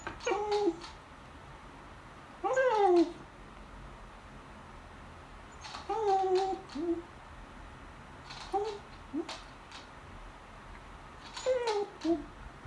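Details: Pet beagle, female, begs at the table during lunch with a series of short whines and yelps. Five bursts come roughly every two to three seconds, each a quick rising-then-falling cry in a quiet room.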